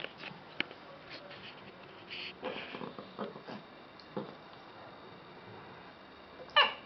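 A small dog, a Lhasa Apso, makes scattered quiet grumbling and whining sounds as it 'talks back' to its owner. Near the end comes a sudden, louder yelp-like bark in a quiet room.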